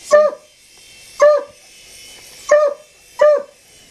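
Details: Domestic dog barking indoors: four sharp, clear barks spaced roughly a second apart, each short and bright, over a quiet low background hum.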